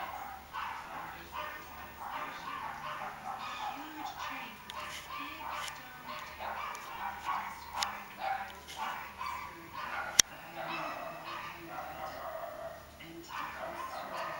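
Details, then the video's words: Outdoor dog, a fox lurking outside the fence, barking repeatedly in quick, harsh bursts that run almost without pause, over a low steady hum. "Hundan ute, rev utforr gjerdet"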